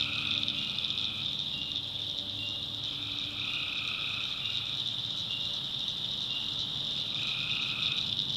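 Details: Tree frogs calling at night in a North Carolina backwoods swamp: a dense, steady high-pitched chorus with overlapping buzzy trills of one to two seconds at two lower pitches, starting and stopping repeatedly over a constant insect-like drone.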